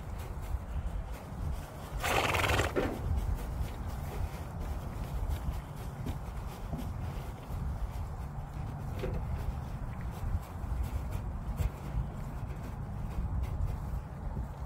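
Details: Two owned horses, an Appaloosa and a Thoroughbred, realizing it is lunch time: a single loud, harsh whinny bursts out near the two-second mark and lasts under a second, followed by low outdoor rumble and a few soft hoof clops.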